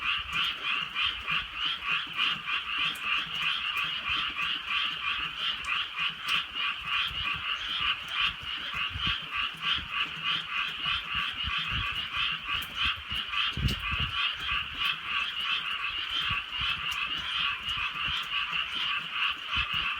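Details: Massed frog croaking on a rainy rural night, a rapid, rattling pulse repeated about three times per second over twenty seconds, punctuated by sharp drips and a brief low thump.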